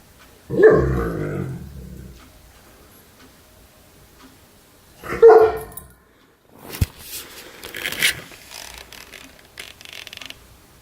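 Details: A male German Shepherd gives two low, rumbling purr-like groans a few seconds apart, his purring noises.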